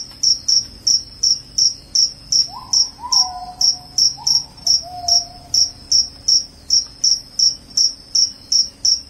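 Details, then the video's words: Clear, high cricket chirps, promoted as a loud sound that repels rats and makes one sleepy, repeat evenly about twice a second. A brief faint gliding whistle appears early on. "SUARA JANGKRIK PENGUSIR TIKUS, JANGKRIK JANGKRIK SUARA NYARING BIKIN NGANTUK."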